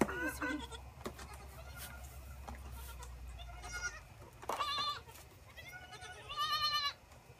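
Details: Orphaned Boer goat kids being bottle-fed together from a wooden six-bottle feeder, recorded on an iPhone set on a gate; two loud, wavering, nasal bleats rise above a low hum and faint background noise.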